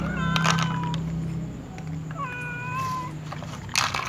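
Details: Hungry cats, among them a tom and a white cat with other cats nearby, begging for food with two clear meows, a short falling one and a longer level cry, with knocks and clatter around them.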